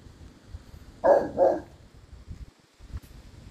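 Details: Two heavy, booming barks in quick succession from Mo Bounce, a black and tan Cane Corso, followed by soft low knocks.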